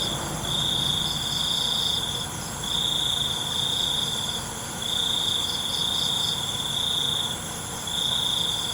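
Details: Crickets at night in a relaxing nature-sound recording: a steady high-pitched trill in long bursts of about two seconds with brief pauses, a fainter pulsing buzz above it and a constant thin high hiss of other insects.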